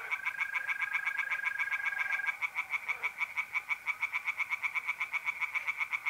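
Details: Singing tree frogs at a pond by night, mid-April in north-eastern Italy; rapid rattling pulses throughout, with a mole cricket's smooth trill fading out after two seconds as the croaks grow more distinct.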